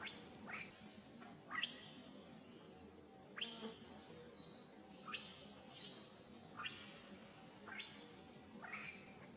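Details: Baby monkey Sariki crying while its mother Sarika teaches it to ride on her back: shrill, high cries that slide steeply downward, about six over nine seconds at uneven gaps, with faint background hiss.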